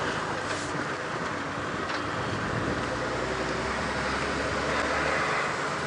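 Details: A steady vehicle engine rumble with broadband noise fills the recording, and no animal calls are heard.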